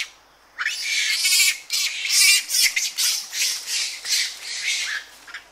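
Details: Several Japanese macaques screaming and calling aggressively at close range: after a brief quiet start, a dense, nearly unbroken run of shrill, rasping screams that overlap and pulse irregularly, with rustling in trees and birds in the background.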